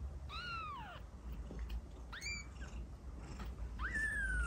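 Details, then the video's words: Kitten meows meant to draw cats near: three short, high, harmonic-rich cries, two sliding downward and a final one rising sharply, spaced across a few seconds against low background rumble. "Kitten meow to attract cats"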